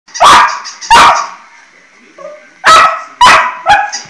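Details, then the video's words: Pet dog meeting a new barking toy for the first time; loud, sharp barks in two pairs with a short fifth bark, quiet pause in between. "Cute dog Chiko meets his new barking toy for the first time"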